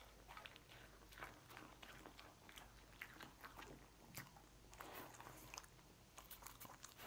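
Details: Lucy, a pet dog, chews cookies indoors, producing a steady run of crisp crunches and bites, several per second, over a low background hum.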